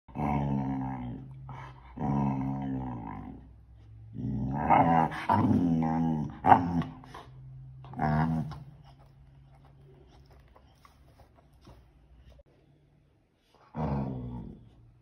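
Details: A Pit Bull puppy indoors, in a small room, 'talking': long, drawn-out, tonal growling moans rising and falling in bursts of one to one and a half seconds. Then a quiet pause and one more moan at the end.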